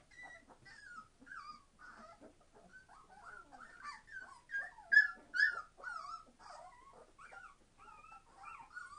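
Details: Noisy 21-day-old Entlebucher Mountain Dog puppies from a litter born 26 September 2015: thin, sliding whines and squeaks rising and falling, several pups overlapping, with louder squeals near the middle.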